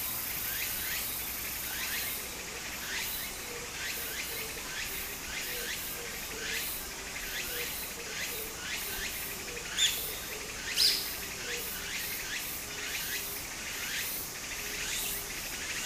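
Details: Japanese summer cicadas near a brook give a continuous shrill drone and rising phrases about once per second; two brief sharp knocks stand out near the middle, with gentle stream flow throughout.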